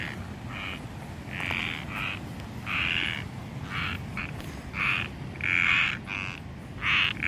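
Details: Frogs or toads calling during an outdoor walk: short bright croaking bursts, repeated about a dozen times in quick, uneven succession, over a steady low background hiss.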